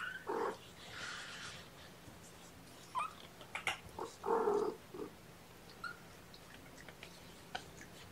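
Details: Young kittens at their first formula feeding of the day, syringe-fed on the morning of 8 May 2018; a few short, hoarse mews, scattered through quiet stretches with faint clicks and handling noise.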